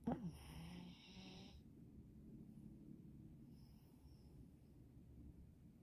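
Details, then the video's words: Napping dog snoring softly indoors: a breathy, raspy exhale in the opening second and a half, then quiet low rumbling breaths with faint hiss, no other voices or clear background sounds. "funny dog snoring during nap time"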